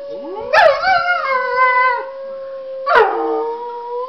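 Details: Dog howls at a laptop in two bursts, each starting with a sharp yelping onset then settling into a sustained harmonic howl, the first lasting about a second and a half before a short gap.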